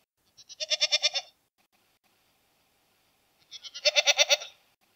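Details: Domestic goat bleating: two wavering, pulsed bleats about three seconds apart, each roughly a second long with a rapid tremolo, silence between them.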